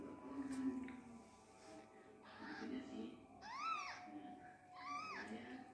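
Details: Newborn Persian kitten left by its mother and not being nursed, two thin arched mews in the second half after softer rustling and faint murmuring, low background hum throughout.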